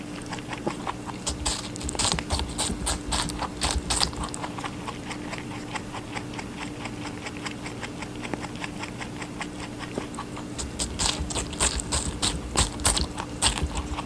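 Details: Rabbit eating watermelon, a rapid series of wet crunchy bites and chewing clicks, bursts of snapping about every half second, over a steady low electrical hum.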